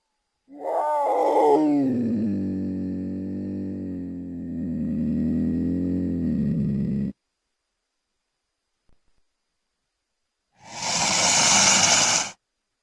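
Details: Cougar (Puma concolor), also called puma or mountain lion. A long harmonic wailing call that starts high and falls, then holds steady and wavers for about six seconds. After a silence comes a harsh two-second hissing burst.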